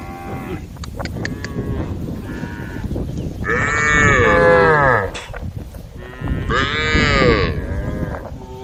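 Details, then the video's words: Group of tame female cows on a road giving two long, strong moos about three seconds apart, against constant low rumbling background noise and a few clicks early on. "a group of tame female cows on the road the sound of cows sounding"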